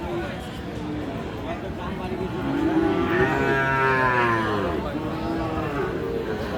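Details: At Aftabganj livestock market, Dinajpur, on 31 March, a Sahiwal bull calf lets out a long, rising-then-falling bellowing moo in mid-clip, surrounded by crowd chatter, voices and shuffling market noise.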